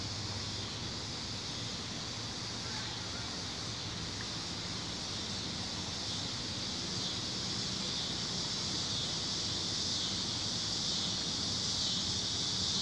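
Tree crickets in chorus, a dense, steady high-pitched trill that carries unbroken throughout.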